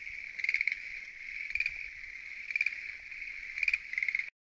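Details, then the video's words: Schlegel's green tree frogs calling at night from a lotus pond in Japan: a steady high trilling chorus with louder pulsed bursts roughly once a second, several frogs overlapping, no other clear sounds. "Noisy? Green Tree Frogs Chorus! !"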